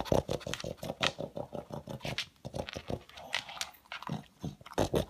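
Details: Pug hunting for leftover food pellets, his loud vacuum-like snuffling indoors; quick regular bursts of snorting, about three a second, with a brief quieter pause midway.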